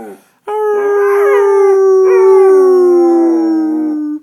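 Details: One long unbroken howl from a female pet dog mimicking a fire engine siren, a steady tone gliding slowly downward over about four seconds, with a wobbling, strained patch early on.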